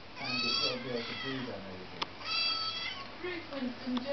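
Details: A Siamese cat gives loud, drawn-out meows that bend in pitch, answering back when told "get down".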